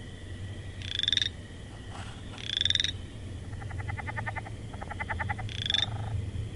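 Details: Frog sounds: three loud raspy, pulsed calls with a slight upward slide, separated by runs of rapid short clicking pulses, over a low continuous hum.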